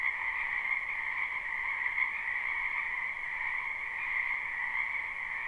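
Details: Croaking frogs fill a spring wetland in a live recording: a thick, constant chorus of rapid trills merging into a steady two-toned hum, with small swells in loudness and no other sounds standing out.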